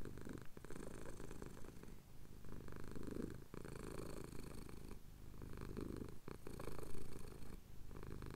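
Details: Domestic cat, male, purring while his chin is scratched, recorded at sunrise over the Cotswold hills on a Tascam DR-07X: a steady low rumbling purr broken by short breath pauses roughly every one to two seconds.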